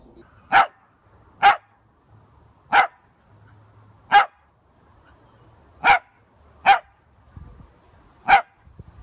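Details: Pet Dachshund barking: seven short, sharp single barks spaced roughly one to one and a half seconds apart, each clipped and bright, with near silence between them.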